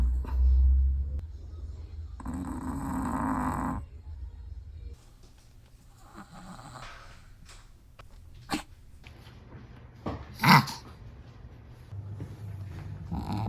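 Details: Sleeping Chihuahua in a small room: deep low rumbling snores in the first four seconds, a breathy exhale, then quieter breathing with a brief sharp snort near the end.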